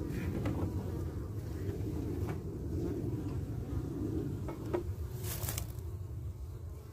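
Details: Carniolan honey bees guarding and defending their hive entrance against a returning wasp, kept with a small entrance; a steady low buzzing hum with brief clicks and a short burst of hiss near the end.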